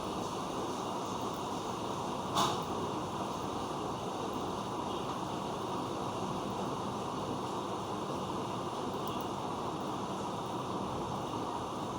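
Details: Steady broadband rumbling noise, like a passing vehicle or train, with one brief click near the start and no animal voice.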